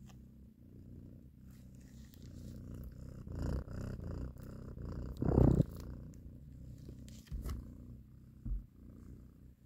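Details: Mother cat nursing and caressing her kittens, purring steadily in a low rumble, with brief louder bumps and rustling handling noises breaking through around the middle.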